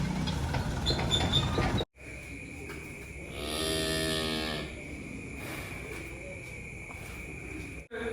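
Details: Cattle, four very large animals being loaded onto a truck late at night, give a long drawn-out harmonic moo with steady low hum of machinery, a constant high tone and background noise.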